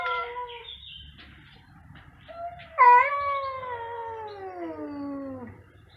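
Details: Two cats meowing very loudly, one brief meow followed by a long, loud harmonic yowl that starts high and slowly slides downward over about three seconds.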